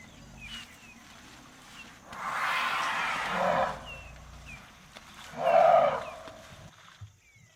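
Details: An elephant lets out a long, harsh trumpet blast, then a shorter, more tonal one about two seconds later. Faint chirping birds can be heard in the background.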